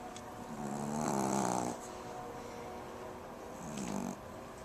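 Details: Jazi the Pomeranian asleep, giving one longer rumbling, slightly fluttering snore followed after a pause by a shorter, softer snore.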